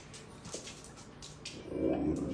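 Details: A male Siberian husky at home on a cold day, wanting to go out, gives a brief, wavering whine-like vocal that swells near the end, with soft clattering before it.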